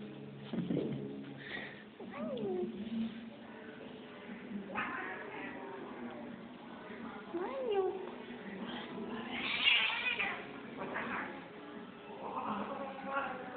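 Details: Angry female cat alternating low growls with short rising and falling yowls and hisses, several bursts spread over the clip, with a person's voice faintly in the background.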